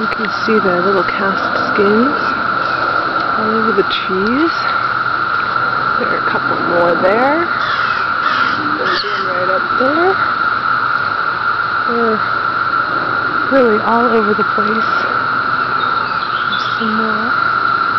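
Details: Emerging 17-year periodical cicadas on Cape Cod: a steady, unbroken droning chorus holds one pitch throughout, while crows caw repeatedly over it in short bursts.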